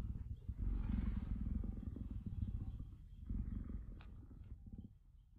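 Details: Leopard playing with its cubs: a deep, rapidly pulsing rumble, purr-like and continuous for about three seconds, then fading with a few lighter sounds near the end.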